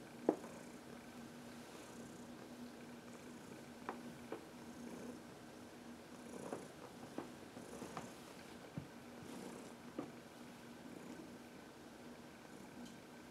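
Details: Heidi, a senior female cat about 14 years old, adopted from the Humane Society of New York City, purrs indoors on March 25, 2021 while rubbing herself on a person's knuckles; a steady low rumble with scattered soft taps and clicks.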